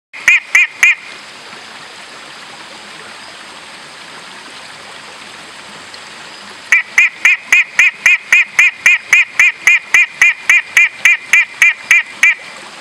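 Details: Long-nosed horned frog (Megophrys) in the Meratus Mountains, South Kalimantan: a brief burst of three sharp, harmonic honking notes, then after a pause a steady run of about twenty identical clipped notes, roughly four per second, over soft stream hiss.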